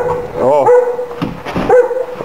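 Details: A big dog during a home visit gives a short arched, tonal bark near the middle, with a steady humming tone running underneath and people talking in Finnish.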